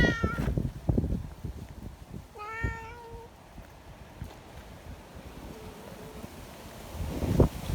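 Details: Community cats gathered together outdoors in strong wind, affectionate and wanting to be petted; one short high meow, then a longer, steadier meow about two seconds later, over heavy low wind rumble and a faint third call.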